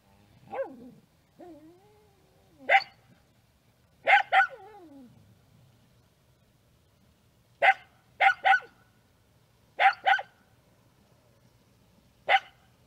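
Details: Scottish Terrier barking indoors in a quiet room: short sharp barks, some single and some in quick pairs, spaced a few seconds apart, with a soft whining, rising call near the start.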